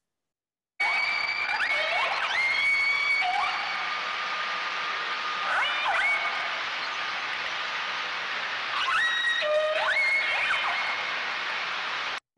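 Southern Resident killer whale calls, squealing upswept and flat tones, over a steady hiss of ship engine noise.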